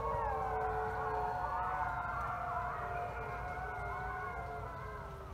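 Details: Thirty gray wolves at the Wolf Conservation Center in South Salem, New York, howl together at sunset, long sliding voices overlapping at many pitches.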